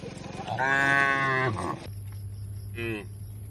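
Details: Tame cattle being herded to a wide field in the countryside: one long harmonic moo of about a second, steady then falling, followed by a shorter, higher moo, over a low steady hum.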